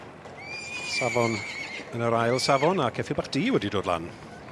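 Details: Two-year-old Welsh Cob colt whinnies twice in short, high, quavering bursts. A person talks right after, with several rising and falling voice sounds overlapping the end.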